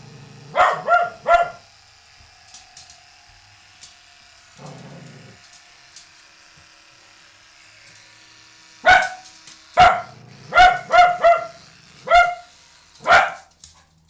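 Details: Cavalier King Charles Spaniel indoors, barking at a new toilet seat it is scared of: a quick burst of three sharp barks, a low growl, then a long pause and a run of six loud barks.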